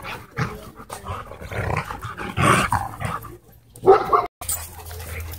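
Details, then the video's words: Two Siberian Huskies play fighting at a dog park, giving rough growls and short barks in irregular bursts, with a sharp louder yelp near the end and a low steady hum underneath. "Two Huskies In Intense Dog Park Battle"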